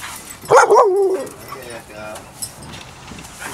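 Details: Puppy during playtime, giving a single short whining yelp that wavers and slides downward in pitch for under a second, then fades into quiet background with faint human voices.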